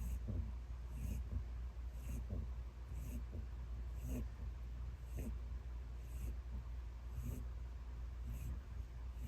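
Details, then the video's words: An elderly pet rabbit named Peter, aged ten, asleep and snoring loudly, giving a steady series of short wheezy rasps close to once per second, with a low electrical hum underneath. "Peter Snores Loudly"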